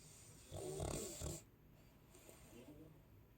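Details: Sleeping Chow Chow, Sasha, gives one loud rough snore lasting about a second with a harsh breathy hiss, then trails off into soft, quieter breathing.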